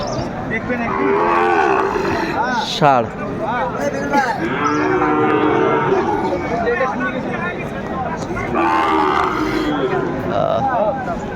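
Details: Sahiwal bulls at Aftabganj cattle market, Dinajpur district, Bangladesh, on 12 February 2025: drawn-out, bending moos that swell and fade, one early and another near the end, set against constant crowd talk and market bustle.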